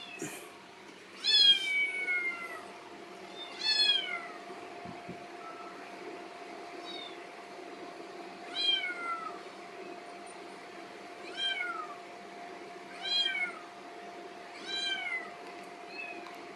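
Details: Rescued kitten, taken in during summer 2018, hungry in the morning: short downward-sliding meows repeated about every one to two seconds, fairly soft, over a steady low hum indoors.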